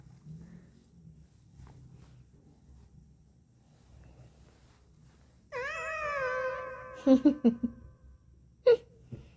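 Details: Rescued street cat Dolsami, indoors, responding to its owner's coaxing: after a stretch of low room hum, one long, steady, richly harmonic meow, followed by several soft taps and clicks.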